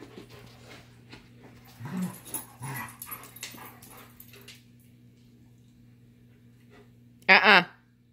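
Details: Labrador and Giant Schnauzer together indoors: a couple of short low growls early on, a quiet stretch, then a sudden loud, high, strained yelp near the end.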